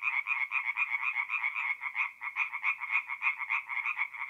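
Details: Forest pond chorus of tree frogs at night in mid April, north-east Italy: quick, grating croaks pulsing nearly four times a second, uneven and overlapping, forming a dense, vibrating chorus.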